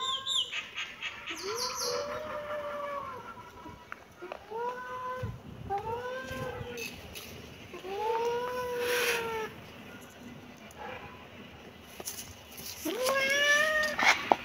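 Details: Thin, arching kitten mews recur every couple of seconds, rising then falling in pitch, over a hissing background with occasional thumps and rustles.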